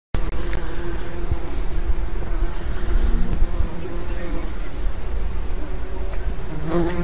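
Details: Bees and other assorted pollinators foraging in lime trees along a riverside walk in Haddington, East Lothian, Scotland, on 28 July 2016, recorded while walking; a continuous low droning hum of many insects with steady faint background rushing.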